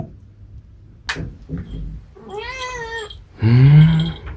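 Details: Munchkin cat giving two meows, the first a bending mid-pitched meow, the second a louder, lower, drawn-out meow, with soft indoor background sounds and a brief click beforehand.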